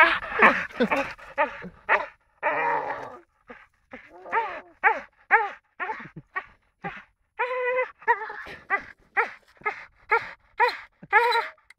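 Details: Four-year-old American Staffordshire Terrier making odd noises: a rapid series of short, harmonic whines and yodel-like moans, some bending up and down in pitch, repeated about twice a second with brief gaps.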